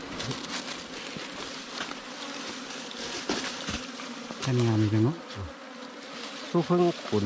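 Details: Wild cavity bees from an underground or termite-mound nest being dug out by honey hunters: a constant humming swarm with rapid tapping, overlaid near the end by short bursts of human voices.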